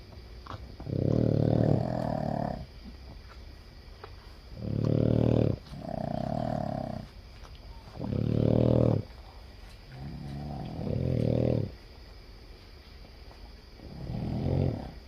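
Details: Sleeping Boston Terrier, from a household of seven, snoring in a regular rhythm: five rasping, pulsed snores about every three seconds, alternating with quieter breaths in between.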